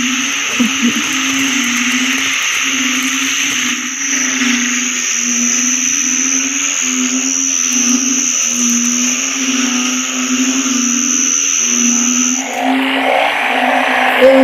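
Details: Chorus of narrow-mouthed frogs (อึ่ง) in wet, overcast Isan countryside after a morning of rain; deep moaning croaks repeated roughly every second in a steady pulsing rhythm, with a high insect whine that cuts out near the end and faint clicks.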